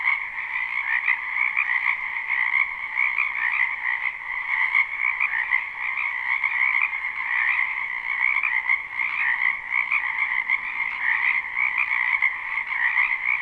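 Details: Live spring recording of numerous frogs in a wetland behind a house: steady, buzzing, trilled croaks from many callers blend into a seamless two-toned drone that never pauses, its loudness flickering rapidly throughout.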